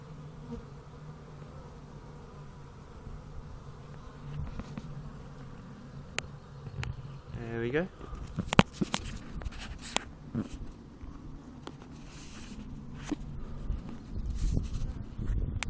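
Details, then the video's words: Busy honey bees at a hive on a fine day, filmed up close by phone: a continuous low buzzing drone with occasional louder bees passing and sharp clicks and taps from movement. "Bees: Hive of activity"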